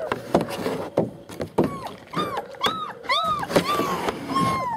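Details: Litter of German Shepherd puppies at a Mayo, Florida kennel, born 28 January 2015 and recorded 21 February 2015, giving short arched whimpers that rise and fall, clustered toward the end, over soft clattering and handling noises.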